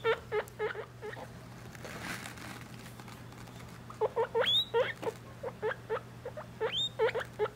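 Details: Three-week-old guinea pig babies with their mother during weighing: bursts of brief squeaky rising calls, a quiet gap near the middle with faint rustling, then more squeaks at an uneven pace over a low hum.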